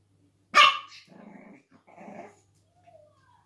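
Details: A pug puppy, finding her bark in July 2019, gives one sharp, high bark, then two short, low growly rumbles.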